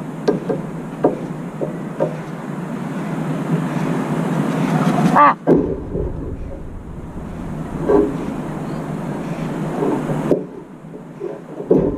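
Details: Steady rumbling wind and traffic-like noise with scattered knocks and thumps; no animal calls stand out.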